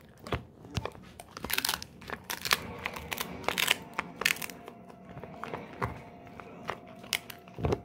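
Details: Golden Retriever Moko crunching a pig ear snack in a small room: loud, brittle cracks repeat every half second or so, fading into softer gnawing, with a faint steady tone in the background.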